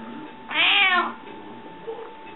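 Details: Hungry pet cat indoors, asking for food: one loud, bright meow that rises then falls, lasting about half a second. A woman speaks Latvian to it just before and after.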